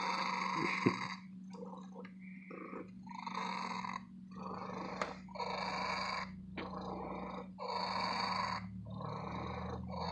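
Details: A happy female cat at an antique store gives a loud, long purr: rhythmic rough bursts alternating with quieter breaths, about seven cycles, some faint clicks and a constant low hum in the background.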